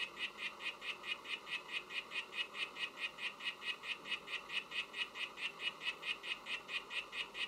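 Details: Song of Oophaga sylvatica, a poison frog: rapid regular train of brief buzzing pulses, a bit more than two per second, sharp and high-pitched, continuing evenly throughout against faint hiss.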